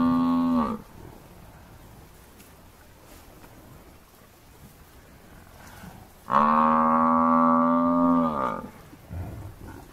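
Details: Massive African buffalo bull being hunted by four male lions, giving distress calls: a loud harmonic bellow ending abruptly, then after a pause a long, steady, low moaning bellow of about two seconds.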